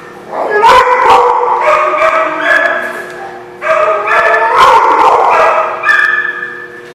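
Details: Dogs giving repeated high-pitched barks and yips in two bursts of several calls each, with a short drop in loudness between them. Recorded 17 June 2016.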